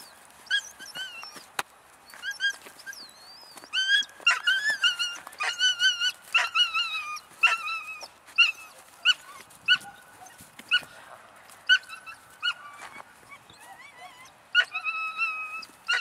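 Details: A 3-month-old female German Shepherd puppy from German working lines gives high, thin, wavering whimpers in quick bursts, some gliding up or down, broken by sharp little yelps in an uneven, restless rhythm.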